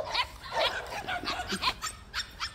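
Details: White puppies at a plum orchard, visited to see how they are doing: a rapid series of short, high yips and barks repeated several times a second, with faint insect or bird chirps in the rural background.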